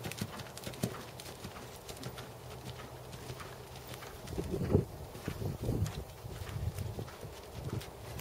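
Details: A black seven-year-old Percheron/Thoroughbred cross gelding, 16.2 hands, in dressage schooling. Dull, low thuds of hooves come roughly once a second, muffled and irregular, with a stronger cluster of strikes near the middle.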